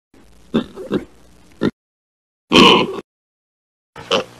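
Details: A pig grunting in short, separate bursts: a few quick low grunts, then a louder, breathier oink after a pause and one more brief grunt at the end.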